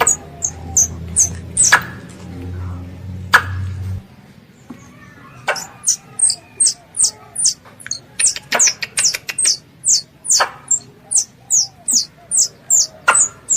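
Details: Pest squirrel calling for its mother gives a long, fairly regular train of piercing downward chirps, about two per second, with clicks. A low hum underlies the opening seconds before fading out.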